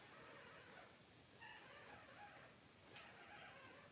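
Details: Newborn Cavalier King Charles Spaniel puppies from September 2022 litters of Blenheim and tricolor mothers, on a livestream: two faint, drawn-out, thin whining squeals with layered overtones, each over a second long, against steady background hiss.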